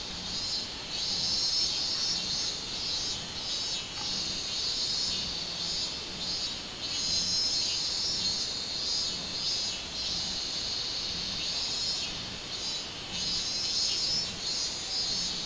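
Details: A robust cicada (minmin-zemi) sings on 24 July 2016, a loud, high, shrill drone that swells and pulses in repeated bursts.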